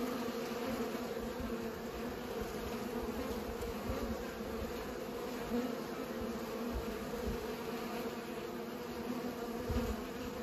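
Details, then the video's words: Pollinating bees give a continuous low hum, an even drone with layered overtones that barely wavers, and a slight swell near the end. "Bees pollinate"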